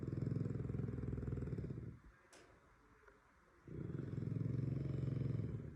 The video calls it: french bulldog snores like my grandma's refrigerator